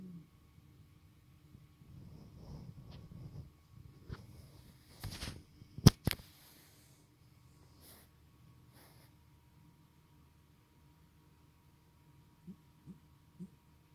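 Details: Male domestic cat snoring while asleep indoors: low, rumbling breaths in slow rounds over the first seconds, a sharp snort-like burst near the middle, then quieter with a few soft clicks toward the end.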